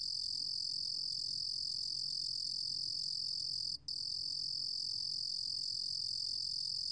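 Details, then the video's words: Steady piercing trill of a cricket called 루루곰귀뚜라미 in Korean, recorded in 2020 by the National Institute of Biological Resources, broken once by a split-second pause midway before continuing unchanged. "루루곰귀뚜라미, 1번 듣기, 곤충소리"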